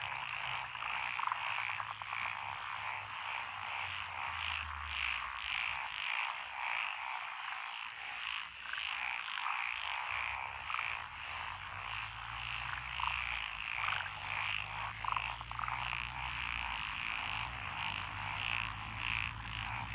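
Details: Frogs calling from lotus rice paddies beside a country road in Echizen, Fukui, Japan, 12 June 2021: a dense, continuous chorus of rapid pulsed croaks overlapping throughout, with a low steady hum underneath at times.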